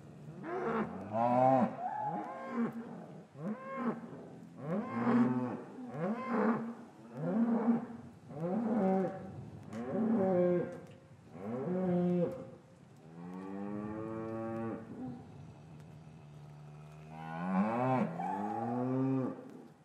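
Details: Cows lowing repeatedly in an English cattle yard on a winter afternoon, calves separated from their mothers; a rapid series of short, rising-and-falling harmonic moos roughly every second, then a longer drawn-out moo and a final loud call.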